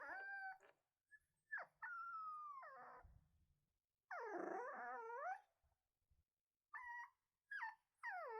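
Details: Puppy alone and feeling lonely, giving drawn-out wavering whines and a rough, strained wail in the middle, then quick upward-flicking cries toward the end with short silences between.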